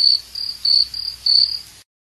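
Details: Cricket chirping with a high, clear ringing trill, rendered as "rin rin", delivered in five pulsed bursts of roughly a quarter second each, evenly spaced, with a quiet background.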